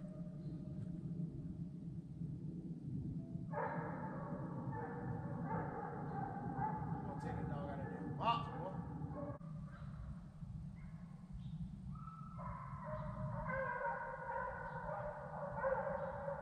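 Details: Hunting hounds bay in long, drawn-out bawls over a low steady rumble while running deer on 75,000 acres of Sandhills game land in North Carolina, dogs about 10 miles from the road.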